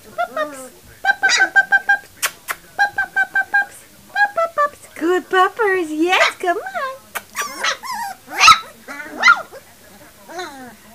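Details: Three-week-old puppies whimper and squeal in a quick run of high, wavering, harmonic cries. The cries come in short bursts and bend up and down in pitch, and they overlap one another.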